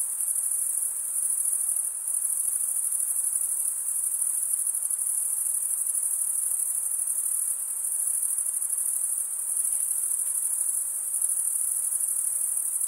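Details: Chirping crickets, the sound made by stridulation of the wings; a continuous high, thin, buzzing trill with gentle waves in loudness every couple of seconds, no pauses and nothing else audible.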